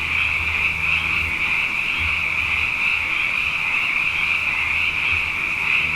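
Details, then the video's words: Abundant frogs calling at night after two wet years in a row in Hawaii, a dense continuous chorus of rapid high trilled notes blending into a steady shimmering wall, with faint low hum beneath. "Frog Songs: Na Mele o nā Paloka"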